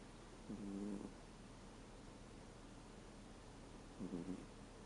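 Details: Sleeping American Shorthair cat, thirteen years old, snoring with a sound that changes from 'gu' to 'pu'; two short, low, buzzy breaths roughly three and a half seconds apart against a soft steady hiss.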